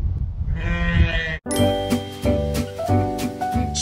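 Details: Rescued six-year-old female sheep, kept alone and unsheared for years, greeted after shearing changed her demeanor; harmonic wavering bleats at mid pitch, several in quick succession, over a woman's soft greeting and faint background music.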